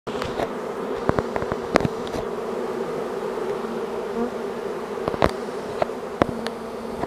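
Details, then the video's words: Large honeybee swarm moving in: dense, steady droning hum with a strong band around a low-mid pitch, overlaid by frequent sharp clicks and taps as bees strike nearby surfaces. "Large Honeybee Swarm moving in."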